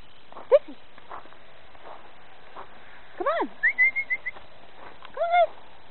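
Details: Dog barking outdoors as Dixie, Lucy and Zoey meet snow for the first time: sharp, arched barks, one early then a pair near the end, with a run of short whistled notes in between.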